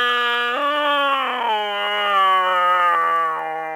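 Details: Frightened cat Briggs lets out one continuous, loud, harmonic yowl that jumps up in pitch early on, then slowly sags and wavers as it drags on.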